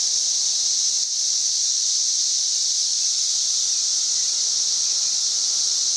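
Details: Very loud cicada, about 90 decibels, heard on May 31, 2024: one continuous high buzzing tone, even in pitch and volume, with a tiny dip near the first second before the drone carries on.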